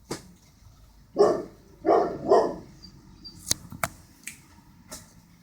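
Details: Border Collie that doesn't like birds, letting out three short gruff barks in quick succession, followed by scattered sharp clicks and taps in a quiet room.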